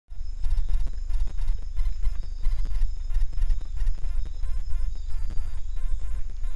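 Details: A lowland paca gnaws corn at a corn bait site, its teeth crunching and clicking in quick, uneven bursts.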